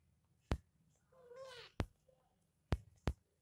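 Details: A kitten gives a single soft, arched meow lasting about half a second, rising then falling, between sharp tapping clicks in a small indoor room.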